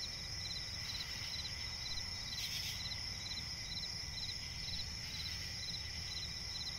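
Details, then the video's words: Night-forest crickets beside a swamp, rapid short chirps repeating in quick regular pulses over a continuous high ringing drone, with one brief buzzy burst near the middle and faint low background hum. "cricket chirping relaxing sound in night forest"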